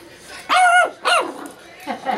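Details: Black pug puppy, three months old, male, pawing at a household cat from a short step he is not yet confident to take; two short high whining yelps with stacked harmonics, then a fainter third cry.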